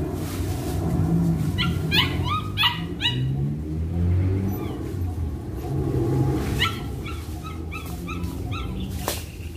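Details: Hunter, a Belgian Malinois, during an introduction to bite work training, gives bursts of high, harmonic whining yelps in quick irregular clusters, with a steady low rumble of wind or background noise underneath.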